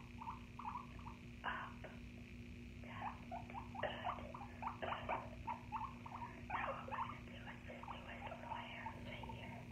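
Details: Guinea pig heard without talking; quick soft squeaks and chirpy chattering bursts in irregular clusters over a steady low electrical hum.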